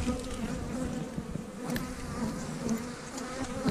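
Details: Honey bee colony in an opened stack of eight-frame boxes, March 10th, agitated after opening: steady humming drone with flickering higher tones from bees flying nearby and scattered faint taps.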